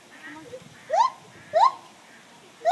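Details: Morning gibbon song heard more faintly: three short, sharply rising notes over a background of soft murmuring noise.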